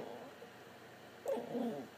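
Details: Putter the talkative pet dog 'chatting' with its owner: after a faint murmur, a short, wavering woo-like vocalization rises and holds briefly, sounding like a small howl or whine.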